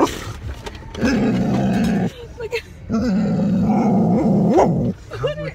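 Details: Dog at a dog park, excited and wanting to play with other dogs, giving long drawn-out honking, moaning vocalisations, two sustained wavering bursts of about a second each with a short rising squeal, a person talking nearby.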